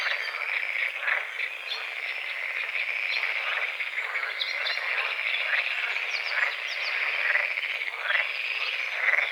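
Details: Dense chorus of frogs croaking at dawn on a small forest-edge lake among calamus and water lilies: steady, rough, rattling croaks overlapping without pause, with scattered thin bird chirps on top.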